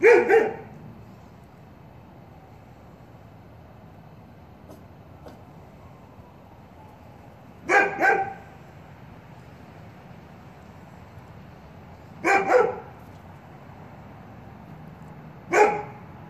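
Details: Big dog's barks spooking puppies; four short, harsh bark bursts, one at the start and then three spaced a few seconds apart near the end, over quiet background hiss.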